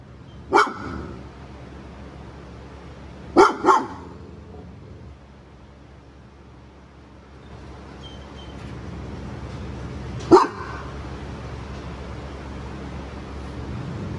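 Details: Cane Corso with aggression issues, in training, barks: three sharp single barks, with a quick double bark near the middle, spaced several seconds apart over a steady low hum of background noise.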